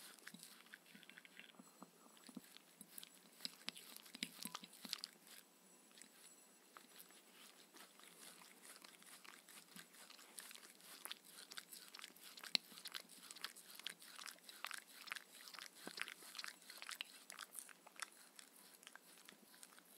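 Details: Shetland Sheepdog Mindy chewing her raw kangaroo dinner with coconut oil in the evening, indoors; steady rapid crunching and biting, dense clicky chewing that quickens midway, small quiet room, no speech.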